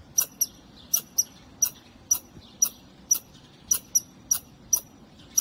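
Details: Perched on a wall during a chance encounter, a squirrel repeats sharp, squeaky chips, some coming in quick pairs, about two each second, over a quiet background.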